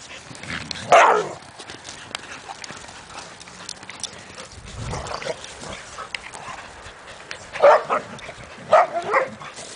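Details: Several dogs, including a pit bull, a poodle, a lab/golden mix and an Australian shepherd, playing together in a yard. Three sharp, harmonic barks: one near the start and a close pair near the end, with quiet rustling in between.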